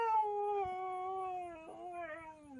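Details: Sasha the husky, dramatic and unwilling to leave a car, gives a sustained howl-whine that holds steady, wavers with a short break midway, then slides down at the close; the owner's coaxing voice is heard around it.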